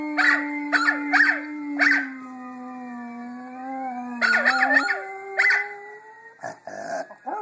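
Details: Pet Miniature Schnauzer joining in with another Schnauzer's recorded howling: a steady low drawn-out tone underlies several quick broken yelps and wavering howls, ending with a few rough bark-like bursts.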